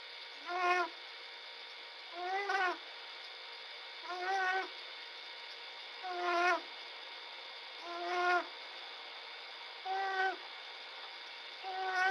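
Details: Little bobcat snoring while asleep: a nasal, tonal snort with stacked harmonics, rising slightly then falling, repeated steadily about every two seconds, seven times, over a faint constant high-pitched hum.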